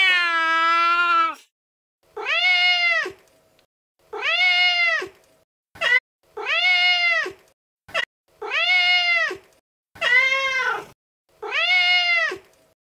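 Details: Repeated meows from a female cat: one long opening wail, then short arched mews about every two seconds, rising and falling in pitch, with a few brief clicks between.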